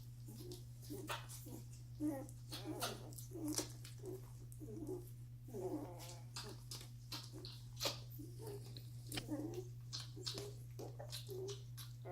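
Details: Week-old Doberman pups eating and sleeping together, one knocking siblings aside for a prime feeding spot; frequent short squeals and wavering whines mixed with wet clicks, a constant low electrical hum beneath.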